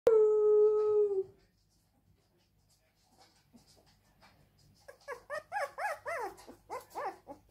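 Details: Siberian Husky crying: one long steady howl for just over a second, then a quiet gap, then a run of short rising-and-falling whining yelps, a few each second, building and fading toward the end.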